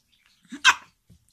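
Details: A Shih Tzu barking fiercely gives a single sharp, harsh bark, preceded by a brief low grunt.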